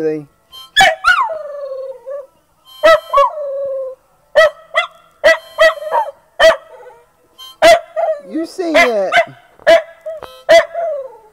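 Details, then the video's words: Pet dog singing along to a harmonica: sustained wavering howls that slide and bend, interspersed with sharp breathy harmonica chords. Phrases come in uneven bursts about every second, with a brief spoken line near the start. "Dog Singing!"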